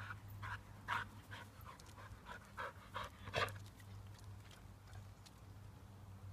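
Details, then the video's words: Female Airedale Terrier playing very happily by herself: breathy, rasping panting bursts come in quick uneven runs with a louder huff near the middle, over a steady low hum in the room. "Airedale Terrier playing very happily to herself"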